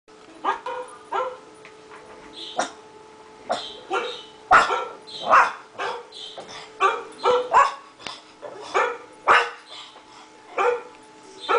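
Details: A five-month-old pug barking in reply to other dogs' barking: short, sharp, mid-pitched yaps in irregular clusters, sometimes two or three close together, with other dogs' barks mixed in throughout.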